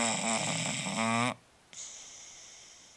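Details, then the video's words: Asleep and resting, Marshall the Bulldog gives a rough, vibrating snore of about a second and a half, followed by a pause and then a soft airy hiss of breath out. "Marshall the Bulldog snoring"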